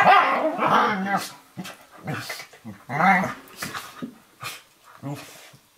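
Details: Play wrestling in a kitchen between an 11-week-old Eurohound puppy, Firenza, and a 4.5-year-old Nova Scotia Duck Tolling Retriever, Brio; throaty growls and grumbles come in short bursts, fading toward the end, with some scuffling.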